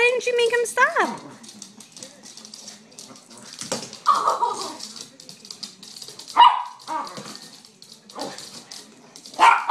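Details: Chihuahua puppy barking excitedly, with sharp high yaps near four, six and a half and nine and a half seconds, a brief whine at the start, and people talking in between.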